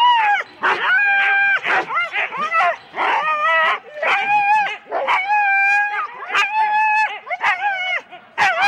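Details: Husky teams of four dogs at a sled race start in Rendlesham, January 2016, giving high, excited yelps and long wavering howl-like whines, with sharp barks breaking in every second or so and brief quiet gaps.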